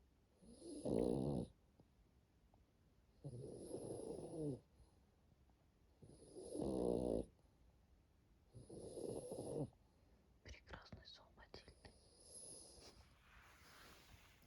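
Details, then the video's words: Matilda, a French Bulldog kept as a pet, snores in her sleep: four rasping, throaty snores roughly every two and a half seconds, then rustling and softer breathing. "НЕЖНЫЙ ХРАП МАТИЛЬДЫ * ФРАНЦУЗСКИЙ БУЛЬДОГ"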